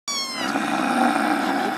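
A small kitten lets out one high-pitched meow, clear and tonal at first, sliding slightly down in pitch. It then turns rougher and breathier as it trails off.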